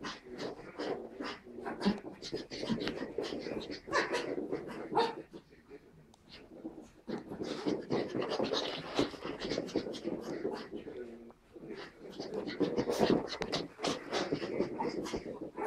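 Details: Two puppies, Tilda the Pug and Roz the Chihuahua, romping in play; a steady run of rough growly grunts, panting and scuffling noises, with a faint human voice in the background.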